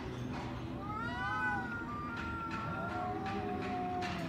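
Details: Street cats quarrelling outdoors, crying at each other: drawn-out wavering yowls rising and falling in pitch, one long wail followed by a lower, steadier moan, over constant low background rumble.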